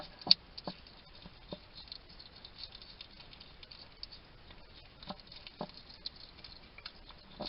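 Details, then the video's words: Wild male hedgehog eating at a feeding station in a Somerset garden, UK: sparse sharp clicks and soft chewing ticks, one loud snap near the start, then quieter scattered munching over faint hiss. "Ever wonder what a hedgehog sounds like? This little guy chatting to himself while he eats."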